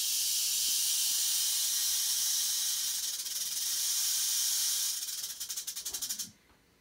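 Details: Captive western diamondback rattlesnake rattling during a live feeding: a sustained, dense, hiss-like buzz that pulses more unevenly near the end, then cuts off abruptly into quiet.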